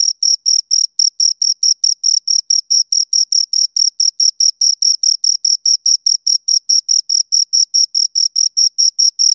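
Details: Crickets, two of them, chirp in a rapid, even series of bright high-pitched pulses, roughly four each second, running continuously without pause; nothing else is audible.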